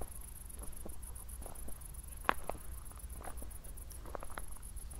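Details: Night crickets near Zwettl, Austria, after a recent thunderstorm, give high, shrill pulsed chirping in quick regular beats, with scattered footsteps and one sharp click midway.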